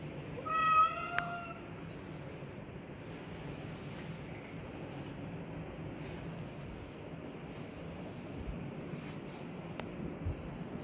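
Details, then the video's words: Black Persian cat during a cat fight indoors: one loud, high, harmonic meow lasting under a second near the start, then only quiet room noise with faint clicks for the rest. "Feline Debate: When Meows Get Intense!"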